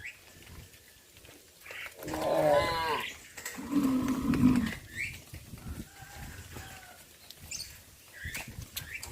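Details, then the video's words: Evening scene of a farmer driving cows into their pen: two loud, drawn-out moos, the first wavering and higher, the second deep and rough, between quieter background noise. "Sound of cows"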